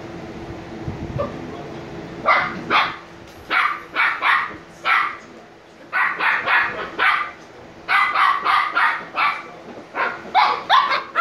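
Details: Niro and Kyno, sleepy Shiba Inu puppies aged 86 days, break into rapid runs of bright, high barks. The yips come in quick bunches of two to four with brief pauses between, and a low thump sounds near the start.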